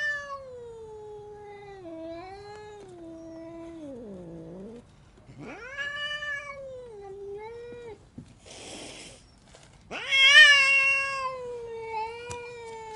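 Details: Angry domestic cat yowling in long, wavering drawn-out wails that sink and rise again, broken by a short burst of hissing near the middle, then a louder, higher rising howl that settles into a steady moan.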